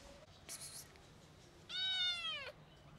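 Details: Stray kitten, recovered after being very sick, brought back to her twin brother and reacting on seeing him again; one loud, drawn-out harmonic meow rising slightly then falling, after a short burst of rustling noise.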